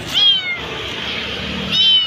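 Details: Kitten left alone at a roadside, crying very loudly while being rescued: two sharp high meows, one at the start and one near the end, separated by a quiet gap with soft hiss.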